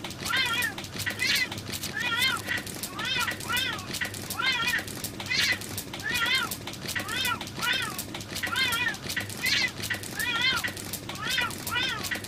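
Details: Two female cats in a fierce fight trade a long run of wailing, wavering cries, each short and harmonic-rich, repeating steadily about once per second throughout.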